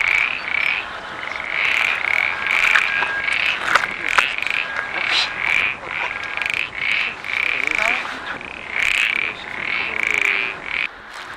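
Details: In the coastal dunes of Bon-Abri at Hillion, France, a common parsley frog gives short, knocking notes in a steady series, like two pétanque balls clashing together.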